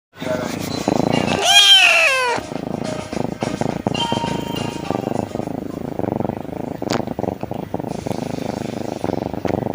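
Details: A happy kitten purring steadily in a low, rapid rumble, with one drawn-out rising-then-falling meow near the start and a faint background hum.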